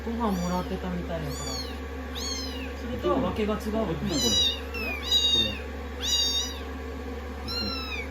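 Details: Rescued kittens sixteen days into their growth record, being dried after shampooing and seeking affection on a lap; shrill, arching meows repeat roughly every second, with a soft human voice in the middle and constant low dryer drone.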